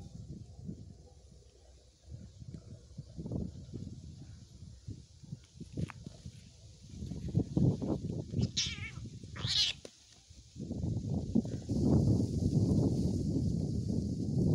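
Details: Two cats fighting, with scattered harsh cries and a couple of sharp high squeals in the middle, over a constant low rumble of background noise.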